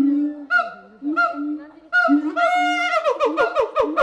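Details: Long drawn hoots from a gibbon, separated by short pauses, build into a rapid series of rising whoops, with faint knocking sounds near the end.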